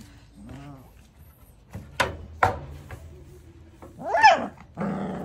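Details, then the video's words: An angry one-month-old Labrador Retriever puppy indoors gives two short sharp yaps, then a rising, wavering whine and a rough growly bark, with quiet gaps between. "Cachorro labrador ladrando"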